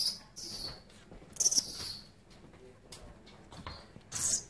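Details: Baby little red flying foxes in rehabilitation care give short, high-pitched squeaky bursts: one at the start, a sharper cluster near one and a half seconds, and another at the end, with quiet rustling between.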